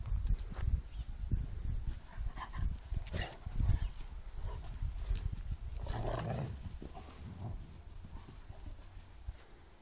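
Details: Bernese Mountain Dogs, two of them, play fighting in a garden while a Flat Coated Retriever puppy watches; rough, throaty growls and short grunting bursts over steady scuffling and rustling of bodies on the ground.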